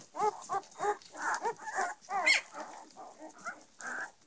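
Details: Belgian Shepherd puppies, a litter of ten with their mother, giving short repeated whining squeals about twice per second, each a brief tonal yelp, one louder rising cry midway.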